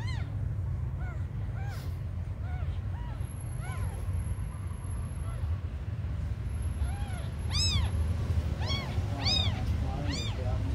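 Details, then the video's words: Abandoned kittens, very small, crying with scattered thin mews early on, then louder, rising-and-falling meows clustered toward the end, over a constant low background hum and a faint high whine. "The smallest abandoned kittens on the world"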